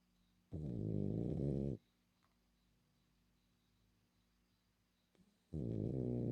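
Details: Female French Bulldog asleep and snoring, a long harsh rumbling snore lasting over a second, a quiet pause of several seconds, then the next deep snore starting, inside a small quiet room.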